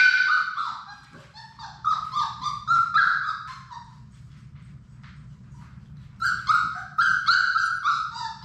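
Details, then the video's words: Labrador Retriever puppies, a litter of six from mother Sadie, at play in their indoor play room. Two bursts of shrill, wavering whimpers and yelps, fast and uneven, separated by a quiet gap with faint low hum. "Labrador puppies at play!"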